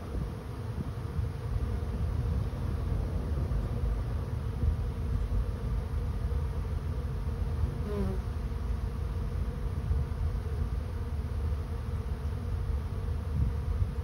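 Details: Honey bee swarm moving into a swarm trap: a dense, steady low hum of many wings continues throughout with an even loudness, and a brief faint flick of a single passing bee is heard near the middle.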